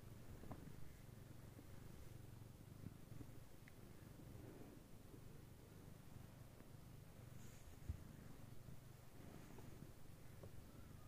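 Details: Somali cat purring: Mooni, a black silver female, grooming and cuddling her silver kittens during their nap; soft low rhythmic purr in pulsing bursts, a few faint clicks and rustles.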